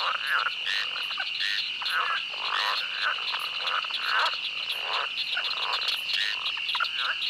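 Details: A chorus of pond frogs croaks in quick, raspy bursts over a steady ringing drone of crickets, among pond and swamp life sounds.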